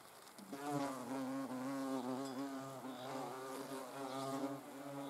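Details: Hornet observed up close. After a brief pause, a steady, low droning buzz starts and continues. Its pitch wobbles slightly as the insect moves, with faint background hiss.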